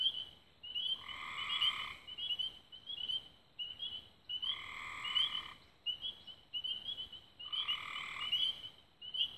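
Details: Singing frogs near Raven Rocks, Belmont County, Ohio, at dusk on 24 May 2016. A stream of thin, high chirps is interrupted three times by one-second buzzy trills, spaced roughly two seconds apart.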